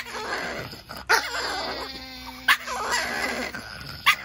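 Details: Chihuahuas in an argument, a steady buzzing growl punctuated by three short sharp yips about one to one and a half seconds apart.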